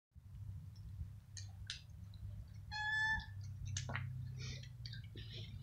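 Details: Feral kitten and adult domestic cats fighting over food: short harsh hisses and spits, then a drawn-out harmonic yowl near the three-second mark, followed by more snarling bursts over a steady low hum.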